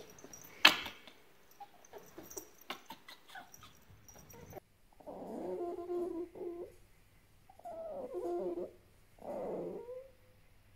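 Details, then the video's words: Djinn, a grumpy pet fennec fox, makes an angry sound indoors. A sharp knock and scattered clicks come first, then three drawn-out, rough, wavering growl-whines, each lasting about a second, with quiet gaps between them. "Top 5 Angry Fox Sounds | Grumpy Compilation"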